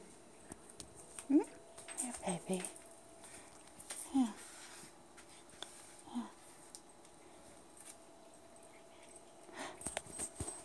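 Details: Domestic cat camping by the pantry, begging for Friskies treats: about four short, bent meows, each rising then falling, spaced over ten seconds. A person talks softly between them, with light rustling and clicks in the room.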